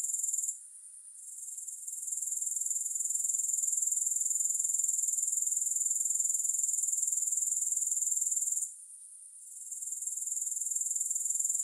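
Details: Grasshopper chorus of shrill, high-pitched buzzing trill that drops away briefly near the start and again late on, then swells back to full strength; no other sounds.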